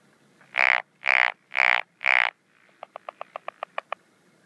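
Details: Japanese wrinkled frog calling at night in the breeding season in rice paddies and ponds, 17 June 2013: four loud, harsh, evenly spaced croaks about half a second apart, then a quick series of short, softer clicking pulses.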